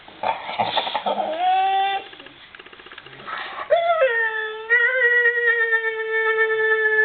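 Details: Dog producing a Chewbacca-like sound, a rough throaty opening giving way to long, harmonic, wavering moans that dip, rise and then hold steady near the end, indoors.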